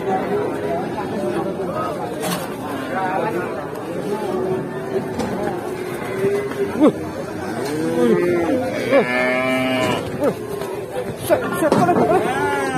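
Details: Raging, angry cattle at Lebaran time: several drawn-out, strained moos among people talking and crowd chatter, with a louder bursting bellow near the end.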